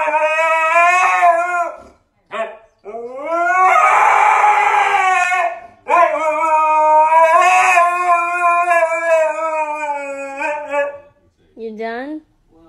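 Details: Siberian Husky singing in long, wavering howls rich in harmonics, each sliding up and down over several seconds, broken by short gaps and a few brief yips, ending in a short rising whine.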